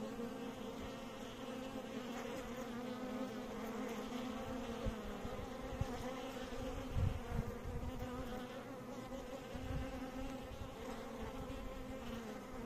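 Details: Continuous low buzzing of bees, a dense, unbroken hum with slight swells in loudness and a few soft thumps.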